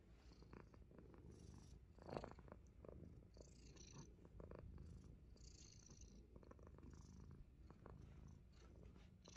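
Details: Himalayan Persian cat biting fingers in play, giving a soft, low continuous purr beneath louder scuffing and handling noises, with one sharp knock around the second mark.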